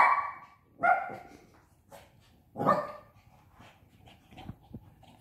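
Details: Five-month-old Shih Tzu puppy playing indoors with a pop-up tent, giving three short, high yappy barks spaced about a second apart, followed by faint rustling.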